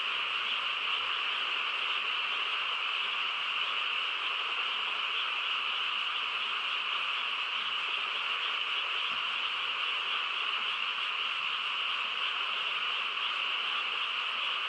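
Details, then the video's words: Frog chorus on a quiet countryside night: a dense, unbroken droning trill that holds steady throughout, with no gaps or single voices standing out. "고요한 시골 밤에 개구리 합창 소리"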